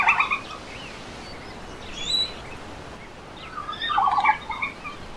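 A red panda gives short bursts of chattering, bleating notes, with a quiet pause between them.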